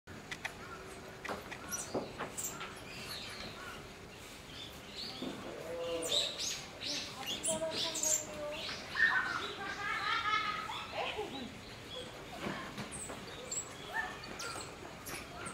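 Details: A baby common squirrel monkey and its mother at Tobu Zoo give high, thin peeps and chirping twitters in irregular bursts.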